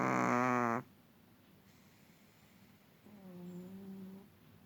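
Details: Sleeping long-haired Chihuahua, a small dog that had been resting quietly indoors, bursts into a loud, buzzy, harmonic snore lasting under a second, followed by a softer tonal wheeze about two seconds later.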